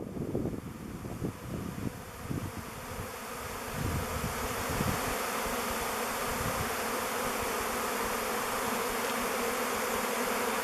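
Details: A swarm of thousands of honey bees swirls in flight before settling on a log hive chosen as its new home. A dense, steady drone with a low hum, low gusty thumps early on, and a person exclaiming.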